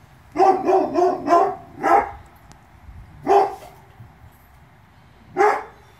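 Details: Presa Canario puppies from a litter born 2/10/2016. A quick burst of four high, sharp barks, then single barks spaced a second or two apart, with quiet background between them.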